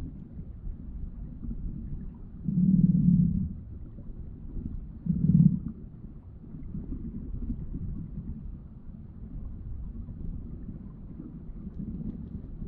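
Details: Male rainbow trout vibrating his body beside a female while spawning in spring in an eastern-slope stream of Alberta; low-pitched buzzing bursts, two louder ones a few seconds apart, over steady low stream rumble.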